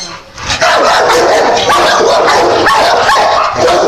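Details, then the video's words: Dogs barking in a loud, dense burst of rapid yaps and yips overlapping one another, continuous after a brief quiet start. "The cutest dogs barking"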